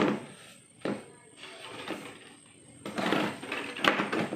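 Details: Indoor room noise with a few knocks and a steady high electronic whine, then louder rustling and a bang, with no animal sound.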